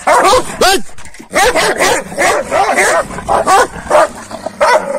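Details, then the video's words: Morning scuffle between Kangals fed a rabbit the previous night: snarling, yapping barks and growls in rough overlapping bursts throughout, some calls sliding upward in pitch, while a man shouts at the dogs in the background. "GECE TAVŞAN VERDİM KANGALLAR SAHBAHA BİRBİRİNE SATAŞTILAR"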